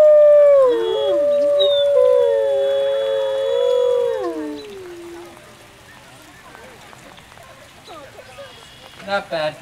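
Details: On a howl night, the main pack's alpha wolf leads a chorus. Several wolves sing together, with wavering, crossing howls that bend up and down for about five seconds. The chorus then fades into quiet and brief yips near the end.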